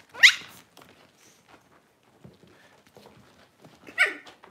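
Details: Six-week-old Cavalier King Charles Spaniel puppies being dewormed and having toenails trimmed indoors; two sharp, high-pitched yelps sweeping sharply upward, about four seconds apart, with soft handling rustles and faint murmurs between.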